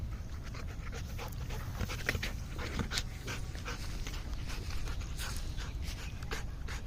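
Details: Golden Retriever panting in quick, breathy huffs that repeat steadily throughout, with a faint whine-like note near the middle, over a constant low rumble of background noise.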